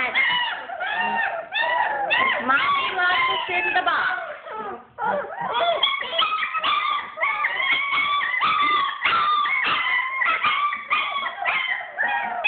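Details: A litter of German Shepherd puppies, kept in the whelping bed during room cleaning and upset about it, whimper and yelp in a crowded, overlapping chorus of rising and falling whines, with a person's voice faintly mixed in.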